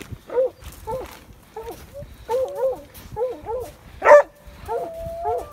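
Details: Coyote hounds baying after running a red coyote into a rock den: drawn-out, wavering bays repeated about every half second to second, one ending in a long steady howl, with a sharp loud burst midway and faint voices in the background.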